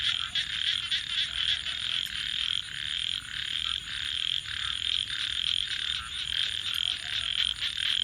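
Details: Night frog chorus by a campfire, many callers merging into a steady shrill trill with rapid pulsing texture, briefly fading in places before rising again.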